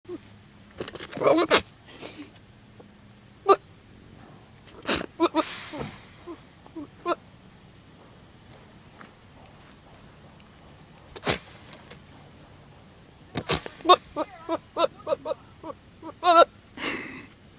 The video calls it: Goat making funny noises